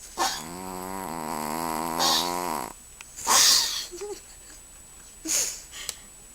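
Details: Ruby, a pet Chihuahua also called Booby, snoring loudly while asleep indoors: a long buzzy, harmonic rasping snore lasting over two seconds, followed by breathy hissing exhales and a shorter snort.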